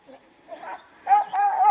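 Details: A 12-year-old Hamiltonstövare named Orrehaugen's Siko meeting a hare after failing to follow his younger Dunker brother's chase; a faint yelp, then a loud drawn-out howling bay with rich harmonics.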